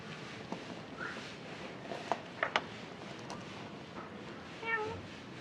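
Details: A cat gives one short, clear meow with a stacked, slightly falling tone near the end, after a faint rising chirp early on; sharp taps and clicks sound in between against a quiet indoor background.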